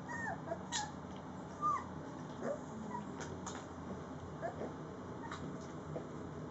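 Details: Three-week-old Rhodesian Ridgeback puppies from one litter at feeding time give brief, high whimpering squeaks and short rising whines, scattered irregularly over a steady background hiss with faint clicks.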